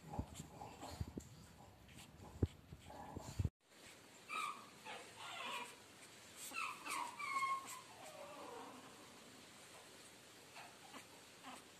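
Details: Chihuahua puppy offered for sale in Guna, Madhya Pradesh, indoors. Thin, high whimpering cries rise and fall in short bursts after a few seconds of handling knocks and rustling, then fade into quiet room noise.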